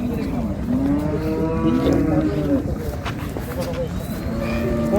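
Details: Cattle at the Ambari market in Dinajpur, where improved-breed dairy cows and calves are sold, give a drawn-out low moo that wavers over several seconds. Crowd chatter and engine noise run beneath it.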